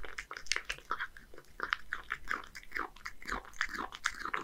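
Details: A one-year-old male Scottish Fold cat named Hige, in Japan, eats horse mackerel combined with crispy dry food. Constant close crunching and smacking chews run without pause, indoors.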